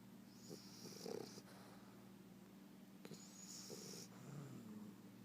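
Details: Bulldog puppy snoring while asleep: breathy, rasping inhalations with raspy, whistly high hiss at about one and three seconds, low steady hum beneath throughout.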